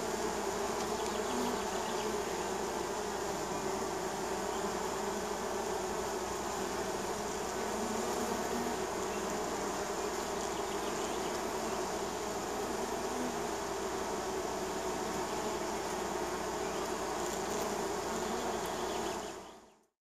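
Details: Spring swarm of a neighbour's honey bees at their hive landing area, a thick continuous hum of many wings with bands of droning tones, unbroken for the full length before fading out at the end.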